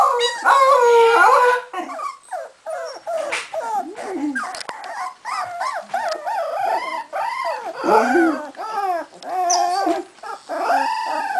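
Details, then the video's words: Young Cardigan Welsh Corgi puppies in Sweden, only three and a half weeks old, howl in a chorus of thin arched whines, starting loud then breaking into many quick overlapping yelps and wails. "Howling Welsh Corgi Cardigan puppies"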